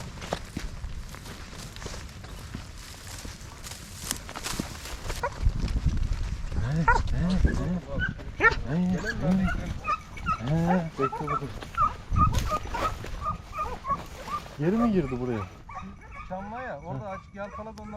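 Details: A man talks over the first half. Then hare-hunting hounds close in with loud, wavering yelps and bays, repeated about three times a second in bursts, on a season-opening hunt in 2023-24.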